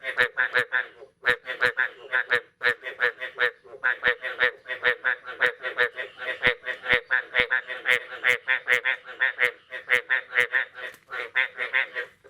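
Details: Frog chorus on a morning after the year's first rain, 9 May 2022: continuous overlapping honking croaks, barely pausing, with sharp clicks sprinkled through.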